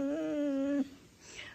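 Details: A female dog indoors, vocal and 'talking' in the morning: one steady, tonal whine-like note held for nearly a second with a slight rise at the start, then a quiet room.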